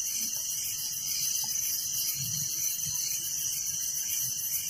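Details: Crickets at night in a village, a dense, steady high-pitched shimmering trill running unbroken throughout, with a faint low rumble beneath.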